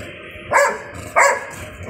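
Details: A Golden Retriever gives two sharp, full-throated barks about two-thirds of a second apart, barking at a bird.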